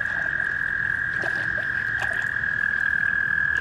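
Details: Many American toads call everywhere at a breeding pond full of eggs and pairs in amplexus, giving a steady high musical trill that never breaks.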